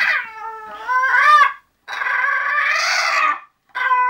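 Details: English Bulldog Zenuś settling down to sleep indoors, whining in three tonal bursts: a short rising whimper, then a longer sustained wavering moan, and a brief final whine after a pause.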